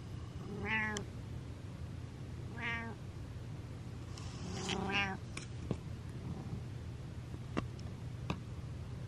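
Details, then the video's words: Butters, a domestic cat, gives three clear, tonal meows about two seconds apart, each a short drawn-out cry with rich overtones, the last slightly longer; a steady low hum and a few sharp clicks sit in the background. "Cat Does A Meow Meow"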